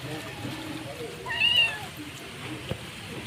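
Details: Stray mother cat calling to her kitten Nemo, who is trying to wander off with her: one short meow, rising then falling, with a harmonic tone in the middle of the clip, over steady background hiss.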